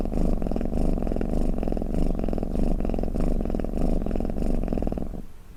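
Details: Snoring, purring house cat meant to soothe and lull other cats; deep buzzing rumble pulsing in even breaths roughly every half second, each breath swelling then easing, before the sound fades out near the end.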